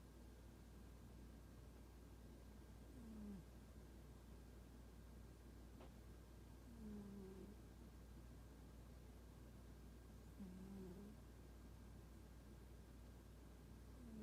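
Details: Toraji, a standoffish domestic cat, asleep and snoring with a soft 'pu-pu' sound: low, whistly, gently falling tones, each under a second long, recurring about every three and a half seconds in a quiet room with steady low hum.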